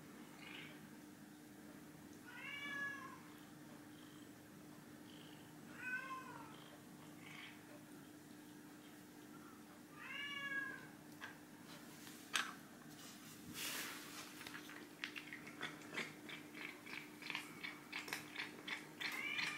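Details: Ginger tabby cat Chai meowing indoors during a food-guessing shell game; three clear harmonic meows spaced about every three and a half seconds, followed by clicking and rattling sounds of the game cups.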